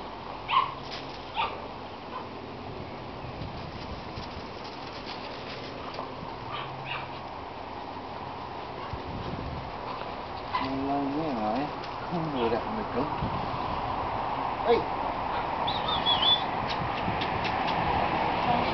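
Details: Irish Setter puppies, five of a litter venturing outside in a garden. A thin, wavering whine rises and falls repeatedly for a couple of seconds midway. Steady hiss and scattered soft clicks sit behind it.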